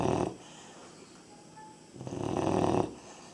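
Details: A 3.5-month-old Labrador puppy snores: one raspy breath fades at the start, then after a quiet gap a longer rough snore of nearly a second, with a faint whistling tone in between.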